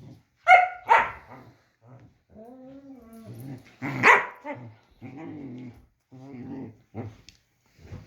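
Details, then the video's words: During play between a German Shepherd and his puppy, scattered loud barks stand out between stretches of grumbling growls and soft moaning vocalizations, with short pauses in between. "German shepherd is playing with his puppy"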